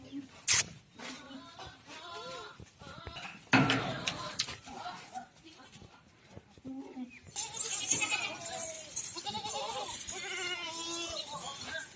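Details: Goats at a farm in Ajmer, Rajasthan: a quiet stretch of scattered noise and voices, then from about seven seconds a run of loud wavering bleats overlapping one another, with background hiss and brief human speech.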